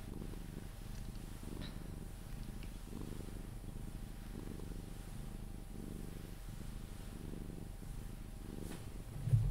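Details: Sphynx cat purring during cuddles before falling asleep, a soft low rumbling purr pulsing evenly about every second, quiet room, with a brief rustle or bump at the very end.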